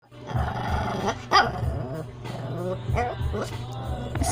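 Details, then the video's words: Shih Tzu, female, angry because she wants to go downstairs, indoors: low rumbling growls in repeated pulses with short higher grumbling vocal bursts, over a steady low hum. "Cute Angry Dog | Shihtzu"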